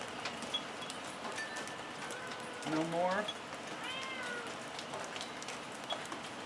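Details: Ragdoll cat meowing repeatedly on a homestead where hens take off when it comes out; two short, wavering meows about a second apart midway, with soft hiss and faint taps behind.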